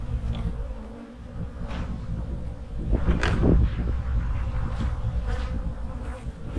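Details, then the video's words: Honey bee hives humming in autumn during preparation for winter: a steady low buzzing drone with faint tonal bands, broken by soft thumps and brief rustling bursts from handling near the hive. "My hives are humming along in the fall!"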